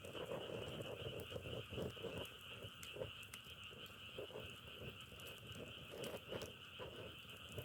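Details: Outdoor frog chorus with a continuous high, even trill under a scatter of irregular low crackles and clicks that recall a wood fire; no other clear sounds.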